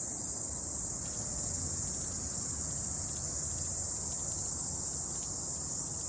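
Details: A cicada chorus sings after rain on a morning mountain hike, a steady, high-pitched shrill drone holding unbroken from start to finish.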